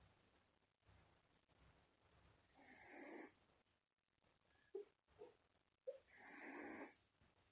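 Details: Snoring from a one-month-old Shiba Inu puppy in its sleep: two long, hissing, nasal breaths about three seconds apart, with small snuffly clicks between them over a low steady background hum.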